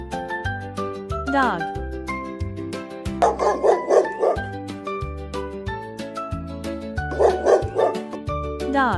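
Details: Dog shown among farm animals for toddlers: two short bursts of quick barks, about four in each, rise over steady gentle children's music with plucked notes and a soft bass line.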